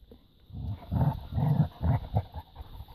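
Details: Labrador retriever puppies romping in a garden, pestering an older dog; four low, rough growl-like bursts come in quick succession about half a second apart, then fade into quiet rustling.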